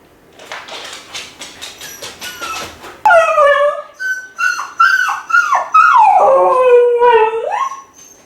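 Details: Kai Ken dog howling and crying while left home alone for about fifty minutes, lonely for its family: a run of short whimpering yelps, then long wavering wolf-like howls that rise and fall, bending downward at their ends.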